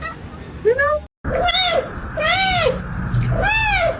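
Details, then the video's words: Domestic cat giving four drawn-out meows, each arching up and then falling in pitch, spaced about a second apart, with a short silent break early on and a low steady background hum. "Funny Cat Sounds"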